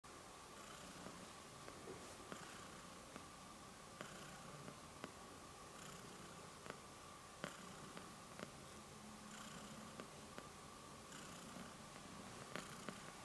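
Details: A small domestic cat purrs while kneading, making biscuits, indoors: a soft, steady low rumble runs throughout, broken by faint scattered clicks and light rustling taps.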